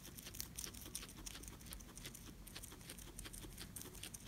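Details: A female Abyssinian guinea pig chews grass in quick, crunchy bursts of tearing and crinkling, apparently baffled about where her piece of grass went. The bites come in an uneven, steady patter over a faint low room rumble.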